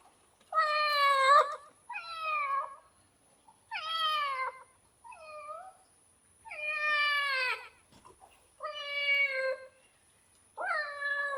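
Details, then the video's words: Domestic cat meowing repeatedly indoors: seven drawn-out, harmonic meows, each about a second long, rising then falling in pitch, spaced roughly every one and a half seconds, with a faint steady high hiss in the background. "Real Cat sound effect"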